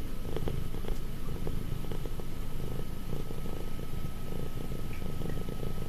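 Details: Affectionate house cat nearly five years old purring steadily, a deep continuous rumble with rhythmic pulsing and no other clear sounds.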